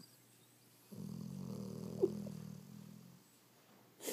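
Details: Pet dog relaxing on the couch indoors, snoring: one long low rumbling breath lasting about two seconds with a brief higher snort in the middle, then quiet; a short rustle at the end.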